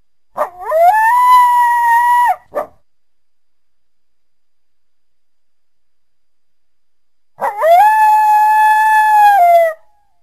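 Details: Coyote calling through the trees on a winter day in a backyard: two long, steady mid-pitched howls, each about two seconds, with a sharp rising start and a short yelp after the first, separated by about five seconds of silence.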